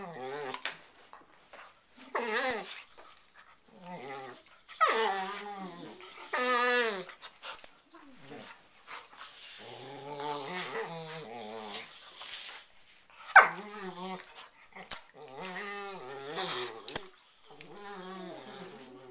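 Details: Two domestic dogs in a bedtime prey-predator play ritual on a bed at night; alternating warbling whines and rough snarls come in uneven bursts, with a deeper drawn-out growl midway and short pauses between exchanges, in a small room.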